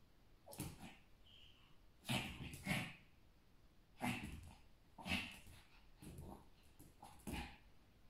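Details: Pomeranian dwarf spitz battling a mosquito: short, harsh, breathy yaps and snaps in separate bursts roughly every one to one and a half seconds, with quiet pauses between them.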